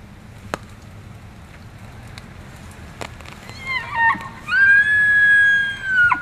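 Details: Elk (Cervus elaphus) at Benezette township, Elk County, Pennsylvania, during rut season: a loud, high, whistled call that climbs through wavering notes into a long, sustained tone, then breaks off sharply. A few clicks and knocks come before it.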